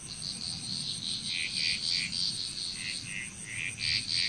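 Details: Frogs calling in Bali, Indonesia, a dense chorus of short, rapid, high croaking bursts repeating several times per second, with a continuous high-pitched insect drone overhead and faint low rumble.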